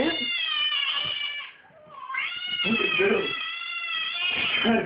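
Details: House cat in a small indoor room while a screaming-cat noise plays at home: sustained, strained yowling cries that are loud and nasal, dip briefly in the middle, then swell again into a long continuous wail.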